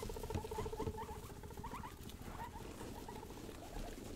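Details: Pet guinea pigs, the young pair Rosie and Buddy, being wild and playful indoors: a rapid series of short, evenly pulsed tonal notes in a steady run, then scattered chirps, over a constant rustling patter of movement.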